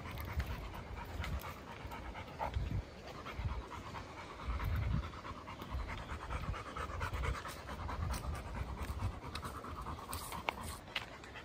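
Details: A chocolate Labrador Retriever on a woodland walk in Goltho Wood breathes in fast, regular panting bursts, soft and airy, alongside scattered crunches and rustles of the path.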